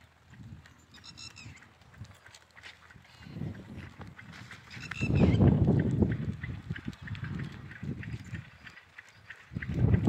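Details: Goat bleating: a loud, wavering, harsh bleat swells in the middle, with shorter, quieter calls before it and another bleat rising at the very end, over steady low rumbling background noise.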